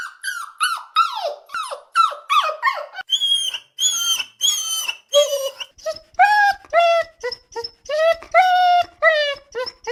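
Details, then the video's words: Puppy crying: high, tonal whines and yelps in quick succession, many sliding downward, later ones long and wavering, with short gaps between calls. "Puppy Crying Sound ~ Dog Crying Sound Effect"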